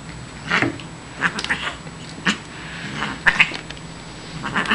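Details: Siamese cat named Shiloh, a female born behind a grocery store, vocalizing during playtime indoors while chewing a feather; several short yowling meows with rising-falling pitch, spaced about a second apart, over a low steady hum.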